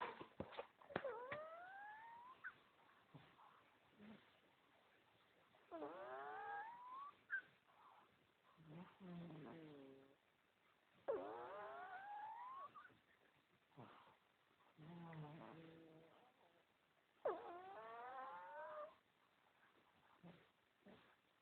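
A pug puppy snores with rising whistled squeaks and lower buzzy grunts, repeating every five to six seconds.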